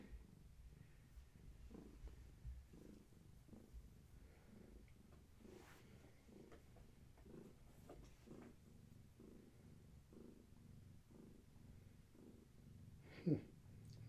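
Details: Mother cat, a long-haired tabby with kittens, purring during an evening massage indoors; low, even purr rising and falling roughly once a second, a brief sharp knock near the end.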